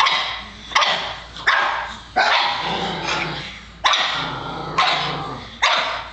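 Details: Pet Pug Oliver going wild at trash being taken out, barking hard and hoarse in a roughly steady run, about six sharp barks with ringing tails and a low growl underneath, indoors.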